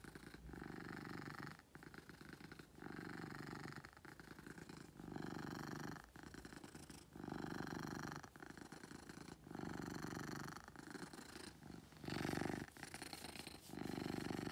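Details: Domestic cat named Beetle purring loudly: a steady low rumbling vibration in long pulses of about one to one and a half seconds, broken by brief quiet gaps as each breath turns, in an indoor setting.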